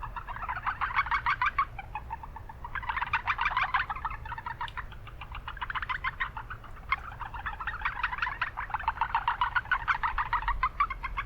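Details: Japanese brown frogs calling from a wetland in town amid much background noise; overlapping bursts of rapid, pulsed clucking notes repeated in fast runs, several frogs in chorus with steady low rumble beneath.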